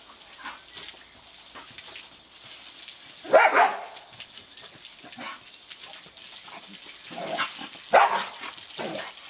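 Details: Diesel, an English bull terrier, chasing and playing with a water hose; two sharp, harmonic yelping barks burst out near the third and eighth seconds, with quieter scattered yips over a steady background hiss.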